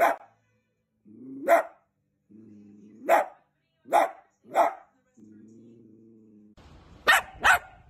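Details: Dachshund barks, short punchy and spaced about a second apart, separated by low humming background noise, ending with two quick barks close together over a rougher rumble.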